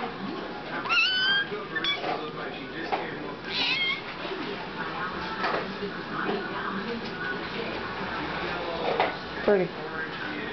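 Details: Young Siamese kitten meowing just before getting a hairball remedy she loves; a few short rising meows, one near the start and another around four seconds, while a woman repeatedly calls to her and asks if she wants some.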